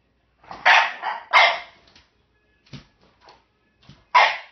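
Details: A French Bulldog gives rough, grumbling barks, trying to get a bone that a Jack Russell/rat terrier has in her possession.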